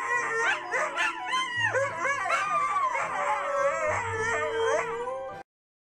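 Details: Siberian Huskies howling in chorus, tremulous sliding cries weaving over one another and then settling into a long level note before cutting off, over a soft background of music.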